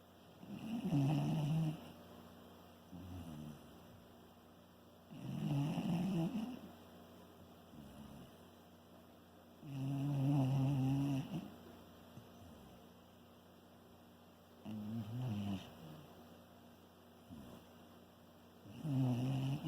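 A Shiba Inu snores steadily, each breath a low, rough rumble lasting a second or two. The snores come roughly every four to five seconds, with softer snuffles between them.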